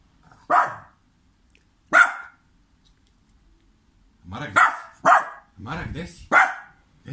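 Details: Dog in Serbia barking at an owner who acts as if he cannot see him; loud, clipped barks, two spaced well apart, then a burst of four in quick succession, with silence between.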